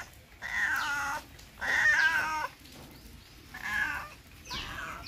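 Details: A domestic cat gives a series of drawn-out, nasal meows, each about a second long.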